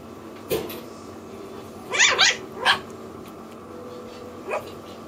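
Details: A female red Toy Poodle puppy, born 24 June 2008, gives a few quick, high-pitched yapping barks in a quiet room.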